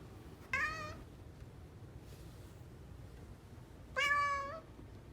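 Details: Pet cat, a Somali or Bengal, uttering two brief harmonic meows about three seconds apart, the second longer and louder, in a quiet room with a soft low hum.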